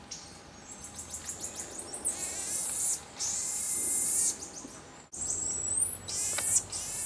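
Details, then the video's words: Common marmoset vocalizations: thin, very high whistles, some long and level, others broken into rapid repeated chirps, coming in bursts of one to two seconds with brief gaps, over a quiet hiss. "marmoset vocalizations"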